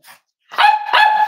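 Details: Cavalier King Charles Spaniel puppy indoors at a home raising emotional support animals on a warm Friday morning: a faint short sound, a pause, then two long, high, ringing yelps back to back.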